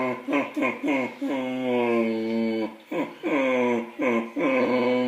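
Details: Cleo the dog having a conversation with baby Cole at the dinner table indoors, a series of drawn-out, wavering moaning calls, some long and steady, some short and bending, trading back and forth in a small room.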